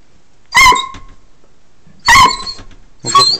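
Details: Dog named Socko pleading to go out for a car ride: three loud, high, strained whining yelps, each brief with a bending pitch, the second arriving about one and a half seconds after the first and a shorter third following soon after.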